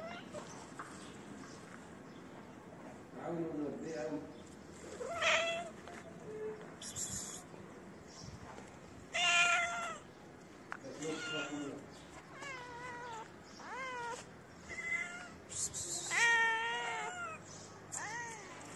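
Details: Street cats, a shy female that sniffed the camera and her cute companion, calling: many short bent meows in quick irregular runs, several stacked in bursts later on, while a person talks in the background.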